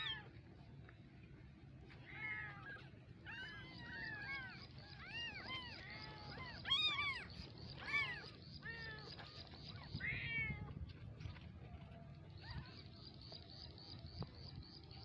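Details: Tiny kittens mewing in a rapid, irregular cluster of thin, arched cries, loudest in the middle, over a steady hiss and low rumble.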